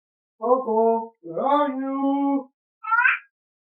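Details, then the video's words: Cat talking back to its owner: two long, steady, low meows, the second one drawn out. A short, higher, rising meow follows after a pause, in a quiet indoor setting. "Comedian Cats Start Talking Back To Their Owner"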